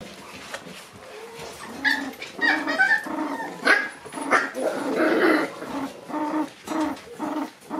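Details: Shiba Inu puppies born in August, on their first outing into the room, give short yips, whines and small barks amid rustling and shuffling noise, bursts clustered in the second half.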